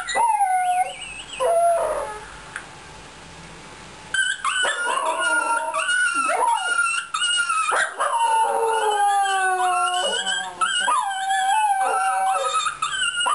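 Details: Fox Terrier singing in sliding, tremulous howls. A near-silent pause of about two seconds comes early, then the dog resumes a dense stretch of wavering, rising and falling notes.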